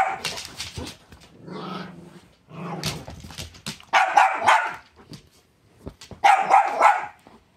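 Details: Two pet dogs, a chihuahua/terrier mix and a great pyrenees/lab mix, playing tug of war over a pink dragon toy; bursts of loud barking and yapping in several clusters, with short pauses between.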